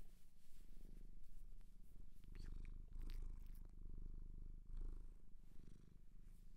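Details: Indoor ASMR recording of a shelter cat in Japan purring in deep, even breaths, the low rumble broken by brief pauses, with quiet whispering and soft handling noises mixed in.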